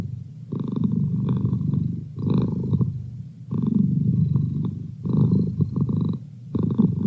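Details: Close indoor recording of Merlin the house cat purring, with a low throaty vibration pulsing in uneven waves that rise and break off every couple of seconds as he breathes in and out.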